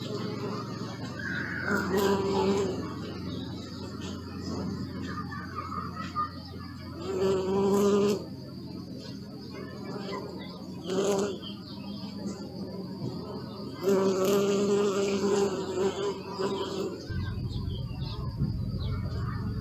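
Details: Bees buzzing in passes, each drone swelling for a second or two and then fading, with quieter low humming between passes and a low rumble near the end.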